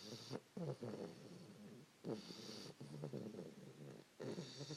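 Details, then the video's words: A 3-month-old English Bulldog puppy named Fannie dozes with her owner around 5 AM, making gurgling, rattly snores in three bursts separated by brief quiet pauses. "Fannie snoring"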